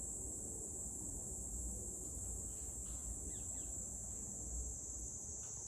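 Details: Cicadas droning in Meguro ward, Tokyo, on 27 June 2023, a continuous high shrill buzz without pause, with faint brief chirps in the middle and a low hum of distant traffic underneath.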